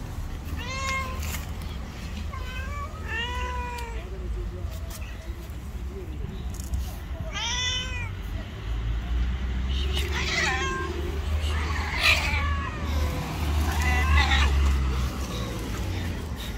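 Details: Jealous, angry white street cat calling in short, arching meows roughly every two to three seconds, some overlapping with faint human speech, amid constant low traffic hum outdoors.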